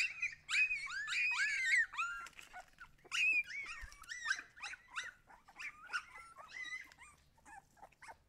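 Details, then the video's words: Siberian Husky pups squeal loudly with steady, high yelps packed closely together, growing slightly softer and more broken toward the end. "cachorros husky"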